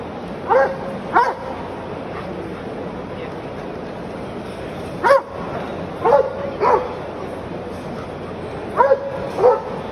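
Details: Belgian Malinois giving short, clipped barks in irregular pairs and singles, long pauses between groups, each bark a brief tonal yelp that bends up then down, steady hiss behind.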